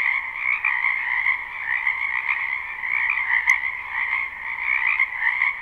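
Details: Frogs croaking in a spring wetland behind a house at night, a live unlooped recording: dense overlapping chorus of many callers, a steady shrill trilling band with a lower throbbing layer, pulsing in volume, with a brief click near the middle.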